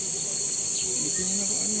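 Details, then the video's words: Crickets calling early, already by 5 PM, in People's Park in General Trias, Cavite, Philippines: a steady, unbroken high-pitched trilling chorus runs throughout, with faint voices murmuring underneath. "Narinig nyo ba yung tunog ng mga kuliglig? Aga-aga pa, may kuliglig na."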